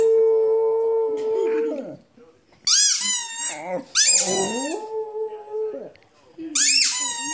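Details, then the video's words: Howling from Rudi the dog: a long, even, mid-pitched tone held nearly two seconds, a pause, then squealing high wavering cries and another steady drawn-out howl. "Howling Rudi"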